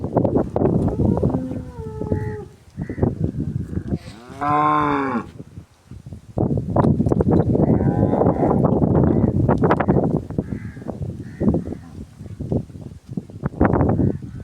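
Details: Nukri cow with a pink nose giving one loud, drawn-out lowing moo that swells and falls over about a second and a half, near the middle, while people talk steadily before and after it.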